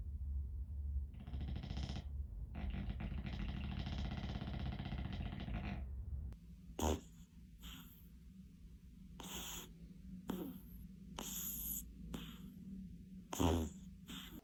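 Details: Sleeping dogs snoring, part of a compilation: a long rasping, engine-like snore with broad noisy breaths for several seconds, followed by shorter separate snorts and wheezy puffs roughly every second, some with whistling tones.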